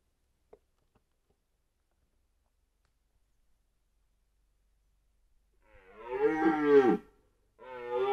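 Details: Red deer stag during the 2023 rut in Białowieża Forest, Poland: after several seconds of near silence, a deep, harsh, harmonic roar swells for about a second, then a second roar starts as the clip ends.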